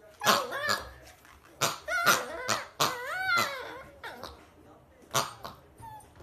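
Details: Dachshund, a sausage dog, giving a run of high, tonal whining yelps that bend up and down, several in quick bursts with short gaps, ending in softer trailing cries.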